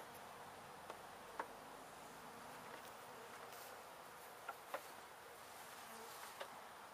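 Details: Steady swarm hum of honey bees as a gentle colony, resident at least one season, is removed from a window at a house in Edinburg, Texas; continuous droning with faint clicks and taps.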